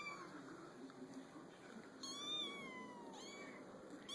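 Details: Young kittens on a small pool table give one long, slightly descending meow midway, then a brief higher cry near the end, set against a faint steady indoor hum.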